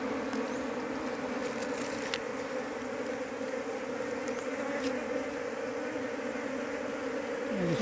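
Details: Large Apis cerana honey bee colony handled while its keeper searches in vain for the queen to raise the bees at home. Steady, low droning hum holds unbroken throughout, with a few faint clicks above it.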